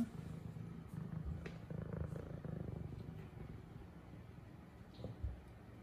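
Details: Zara, a female F2 Savannah cat, purrs during play with a new toy: a low, continuous rumbling purr, strongest in the first three seconds and then softening, with a few faint clicks and rustles.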